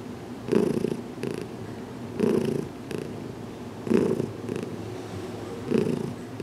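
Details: Heidi the cat purrs contentedly while receiving a gentle head massage indoors in a small closet, two weeks after arriving; low rumbling purr with louder pulses roughly every one and a half to two seconds.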